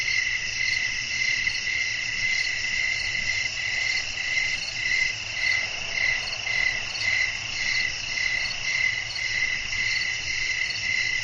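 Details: Crickets heard in a relaxing night nature scene with wind, suited for sleep; a thick chorus of fast rhythmic high chirps pulses steadily, backed by a continuous ringing drone and faint hiss.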